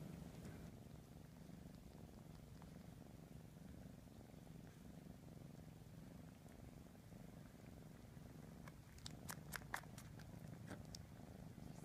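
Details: A 3 1/2 month old kitten grooming his siblings, purring in a low steady rumble throughout, with a few brief clicks and taps near the end and a soft human voice after.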